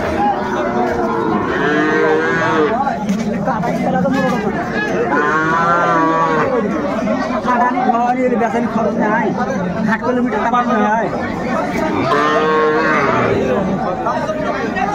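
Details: Sahiwal bull calves at Ambari cattle market, Dinajpur, Bangladesh, 20 January 2025, at the start of trading: three drawn-out, wavering moos spaced several seconds apart over constant crowd chatter and bargaining voices.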